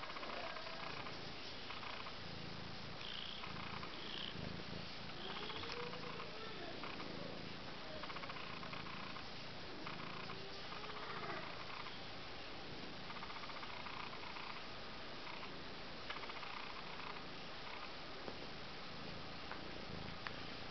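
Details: One-month-old Abyssinian kittens, four littermates named Jolie Doll, Juno, Jellybean and Jungle Boogie, in lièvre, fawn and sorrel coats, purring softly and steadily indoors. Faint, brief mewing arcs rise and fall now and then over the low hum.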